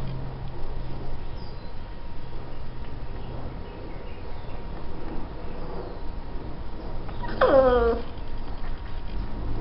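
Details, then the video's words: Chow Chow pup, a female, squeals with delight as she plays with a stuffed bear. Near the end comes a single bright, tonal squeal that slides downward, set against a constant low rumble and quiet room noise. "Chow Chow Puppy Squeals with joy playing with stuffed bear"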